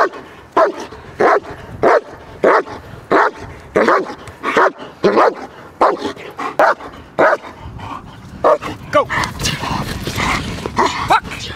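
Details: German Shepherd protection dog in guard training, barking in a steady series of deep, forceful barks, roughly one and a half per second, then scuffling and a handler's commands toward the end.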